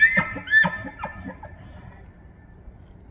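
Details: During the September autumn rut in Banff, Alberta, Canada, a bull elk bugles, a high shrill whistle breaking into deep, hoarse grunting chuckles, calling to attract and control females and to warn rival bulls.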